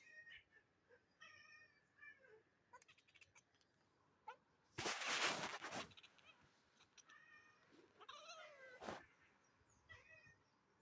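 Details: Cat reacting to pigeons at a window indoors: a series of short, high, chirping meows and chatters, with a louder burst of noise around five seconds and a rising, wavering meow near eight seconds.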